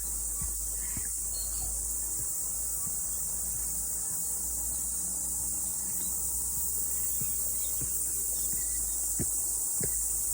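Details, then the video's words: Morning mountain hike after rain, with cicadas singing: a dense, shrill buzzing drone continues without pause, while brief ticks and knocks, like footsteps, come every second or so beneath it. "Sounds of Cicada"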